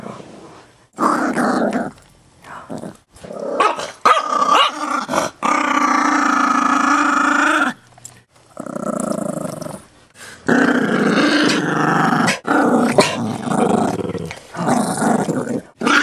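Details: Chihuahua mix acting tough and growling over a bone, a dog that has never bitten anyone; rough, rumbling growls come in long bursts broken by short pauses, with a person's voice in between.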